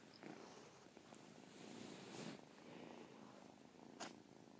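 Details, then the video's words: Domestic cat named Caspurr purring, with a chirp heard within the purr; a steady low rumbling pulse rises and falls in loudness over several seconds, with a few brief sharp clicks. "Caspurr chirp purr"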